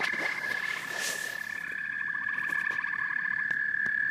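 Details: Many frogs and toads calling together: a continuous high ringing note with quick stuttering trills layered on top. Brief rustling noise at the start and a few faint taps are heard.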